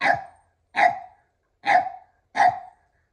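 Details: Keeshond named Kumo playing excitedly with a red ball alongside a Boston Terrier; four loud, sharp barks spaced roughly every 0.8 seconds, each a short burst fading quickly, with silence between.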